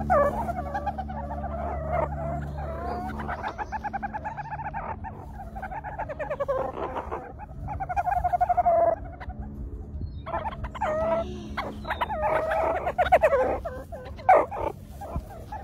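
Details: A meerkat pup at Woburn Safari Park gives a run of high, squeaky, chirping calls over a low steady hum.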